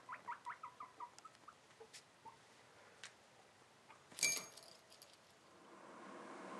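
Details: Young caged guinea pig, seven months old, excited during cage cleaning, gives a quick series of short rising squeaks that slow and fade, followed by a loud clatter and soft rustling.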